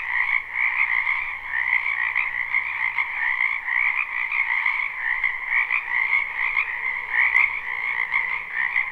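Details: Wetland frogs in spring, live recording with no looping: countless croaking voices blend into a steady, shimmering trill chorus, slight swells in loudness, a soft low rumble in the background.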